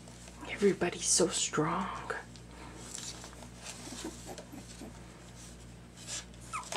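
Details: Two-week-old puppies, some with eyes newly open and starting to walk on wobbly legs indoors; a few high, wavering whimpers and squeaks early on, then soft shuffling and scratching noises in a quiet room.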